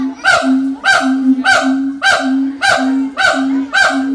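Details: A siamang at Ragunan zoo gives loud, harsh, honking barks in a steady series, about two every second.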